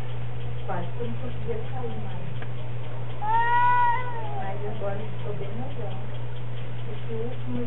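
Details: Cats in an odd battle, a loud rich yowl swelling midway and arching down before fading, surrounded by quieter mutters and moans, over a continuous low hum.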